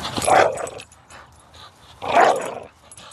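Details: Five-year-old female pit bull growling during a tug-of-war game with her owner, recorded July 8 and described as play rather than aggression; two short, rough, mid-pitched growl bursts about two seconds apart, with quiet gaps between.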